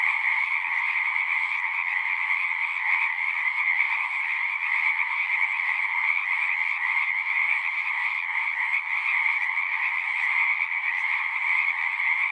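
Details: Frogs chorusing at a pond in a horse pasture, recorded on a Zoom recorder: a dense, continuous wall of overlapping trills with steady bands at mid and high pitch, no pauses, unbroken for the whole stretch.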